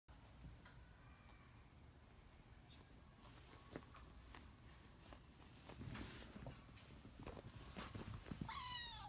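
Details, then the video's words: Kitten crying indoors, apparently wanting someone to take down a decoration it is intensely curious about; mostly rustling and tapping noises with faint squeaks, then one short, clear, harmonic meow near the end. "取って欲しそうな子猫の鳴き声がかわいい The kitten's cry is cute"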